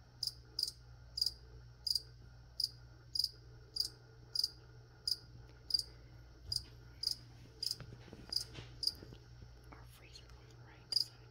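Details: Cricket heard while plants are being sprayed, giving crisp high-pitched chirps at a fairly steady pace of roughly two per second, some short pauses, with a quiet low electrical hum underneath.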